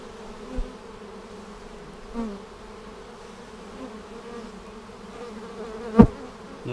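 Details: Honey bees humming steadily around an opened hive on March 10, 2019, a week after a vertical split made with a double screen divider board: even low drone throughout, soft bumps and one loud knock near the end.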